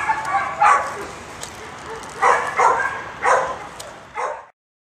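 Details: A dog gives short, sharp barks in irregular bursts, about five over four seconds, each loud and broad-toned, with a person's voice nearby in a quiet indoor setting before the sound cuts off.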